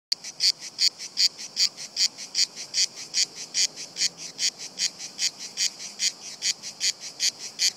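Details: Several cicadas singing on a tree trunk, unbothered by a nearby person and crawling down the trunk: harsh, buzzy high-pitched pulses repeated about two and a half times per second in a steady train.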